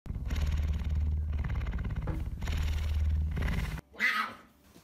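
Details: Messi the puma begging for a glass of kefir: a deep, steady, rumbling purr in long pulsed bursts with a short break near two seconds. It stops abruptly, then a brief, brighter rasping sound follows.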